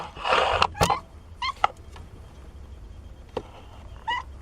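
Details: A 17-day-old kitten from Nina's litter of four gives brief, thin mewing squeaks scattered among indoor rustling and a burst of broadband handling noise at the start.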